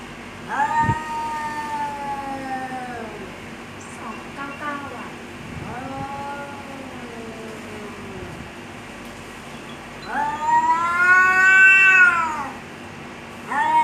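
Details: Cats fighting and threatening each other give several moaning yowls. Each swells and then trails off, the last one loud and rising, with faint other sounds between the cries.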